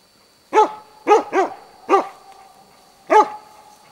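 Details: Dog in Huskölen, Sweden, 2008, bay-barking at a moose cow with two calves near Båthussjön. Five loud, rough barks arrive unevenly within about three seconds, including one quick double. A faint constant high tone sounds behind them.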